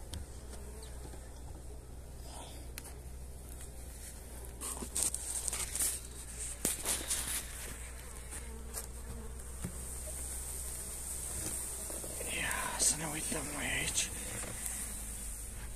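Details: Honey bees being fed energy cakes on 29 January in super pleasant weather: a continuous low buzzing hum with scattered clicks and rustling handling noises, growing busier and louder in the second half.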